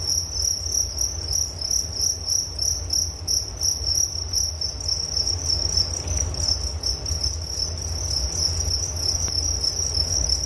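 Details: Relaxing night-time cricket chorus meant to lull the listener to sleep; continuous high shrill chirps pulsing rapidly and evenly, a faint overtone band higher up, a soft low hum underneath, one brief click near the end.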